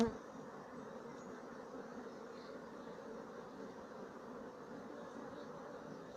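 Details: Continuous droning hum from a colony of Sicilian black bees, 2017, a low, even buzz of many wingbeats without breaks or changes in loudness.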